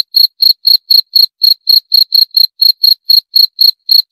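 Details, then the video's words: Jangkrik, a cricket, giving rapid high-pitched chirps, each a brief buzzy pulse, coming about four per second in a near-regular series against silence. "28 Menit Suara Jangkrik - 28 Minutes Cricket Sound Effect"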